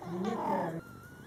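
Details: Domestic cat indoors with her Scottish Fold kittens, born July 22, 2012, during their first month of life: one loud, harmonic, mid-pitched meow lasting under a second, then a faint thin tone.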